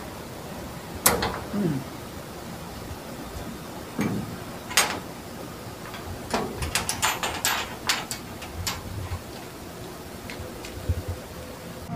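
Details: Indoor clicks, knocks and sliding, rattling mechanical sounds like a door or drawer, scattered irregularly, with no animal voice.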